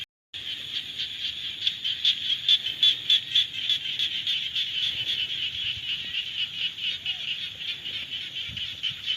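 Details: Chorus of frogs during the rainy season: loud rasping pulsed calls in quick succession, about four per second, over a constant high-pitched buzz from many callers.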